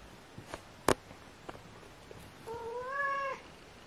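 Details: A single drawn-out meow from kitten Aria, rising slightly before fading, near the end. A sharp knock and a few faint taps come earlier in an otherwise quiet room.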